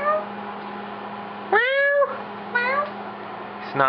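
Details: House cat playing with its owners. Two meows, the first longer and rising, the second shorter, about a second apart, over a steady low hum in a room.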